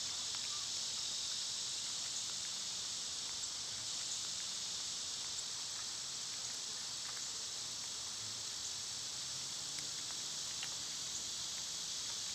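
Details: Unbroken, even high-pitched buzzing of cicadas in summer, heard on a day they were at their quietest; no other clear sounds over the continuous insect hiss.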